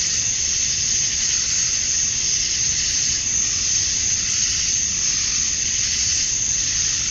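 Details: Male cicadas in Georgia, USA, calling at summer dusk to attract mates: an intense high-pitched buzzing wall with slight rhythmic swells every second or so, steady throughout.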